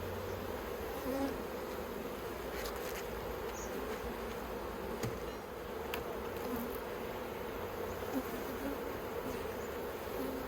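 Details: Honey bees in a kept colony, the Yellow Hive, in Australia on 9 October 2021, a hive fitted with plastic frames the bees dislike. A steady, dense droning hum carries throughout, with scattered faint clicks and knocks from hive work.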